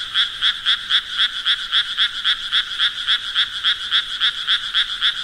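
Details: Frogs croaking in a steady, dense rhythm, about four pulsed calls each second, each a bright, buzzy two-toned note repeated without pause across the whole stretch, with a faint low background rumble and no other voices.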